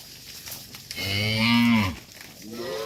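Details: Tame cattle herded back to their farm pen: a single full, harmonic-rich moo lasting about one second, steady then falling at the end, with a fainter second call starting just after.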